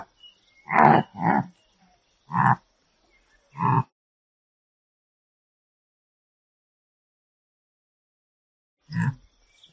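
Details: A bongo (Tragelaphus eurycerus) at a zoo calls with short, hoarse grunts, singly and in quick pairs.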